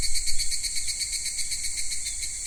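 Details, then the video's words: Cicadas in a Japanese summer at Kitakami's Michinoku Folk Village and Tenshochi, a recording that runs from daytime minmin-zemi to higurashi at dusk; a shrill, high buzzing chorus throbs with quick pulses, louder at first, then steadier. "夏セミの鳴き声 ミンミンゼミから夕方のひぐらしまで"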